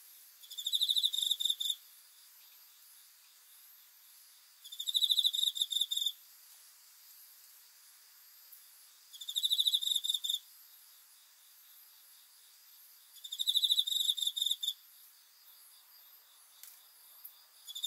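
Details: At night a cricket repeats short rattling trills, four high pulsed bursts spaced about four seconds apart, each around one and a half seconds, against quiet background hiss.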